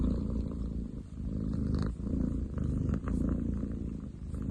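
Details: Very loud purr of a male long-legged munchkin cat, July 2023, rough and low, rumbling in breath-long surges of roughly a second with short quiet gaps between them, faint clicks above.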